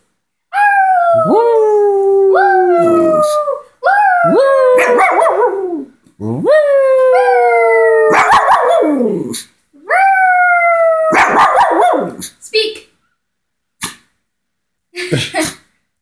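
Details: A Shih Tzu howls in a string of rising, wavering notes that slide down at the end; Phoenix, Arizona, 16 June 2020.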